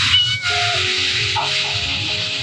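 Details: Five hungry abandoned kittens, found early morning by a roadside in the mountains of Jeongseon, Gangwon, give short, thin meows while being fed, over a steady hiss and music.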